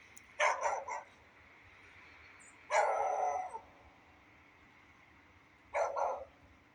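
A beagle gives three loud, slightly drawn-out barks a couple of seconds apart over a steady hiss of rain.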